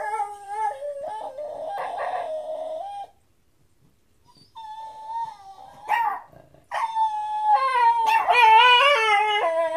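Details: Domestic dog that never barks finding its voice at night, talking to another dog, a blue heeler: drawn-out, wavering, yodel-like howls sliding up and down in pitch, a short silent pause, then louder overlapping voices toward the end.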